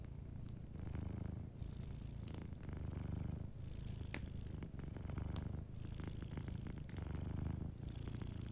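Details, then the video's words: Deep, even purring of a sleeping cat in repeated stretches of about a second or two, separated by short pauses, over the soft snapping of a nearby fireplace. "Warm Fireplace Ambience with a Sleeping Cat 🐱💤Fireplace & Soft Purring"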